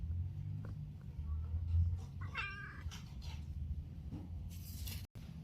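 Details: Domestic cat calling, giving a single short meow in the middle, set against a steady low hum in a small indoor room.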